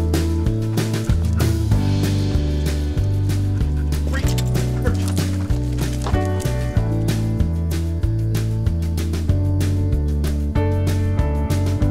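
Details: Loud, steady instrumental music with a regular beat and a deep bass line fills the whole stretch.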